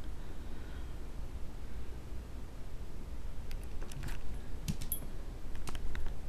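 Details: Low steady indoor rumble with a few sharp metallic clicks and jingles, like keys, and no animal voice.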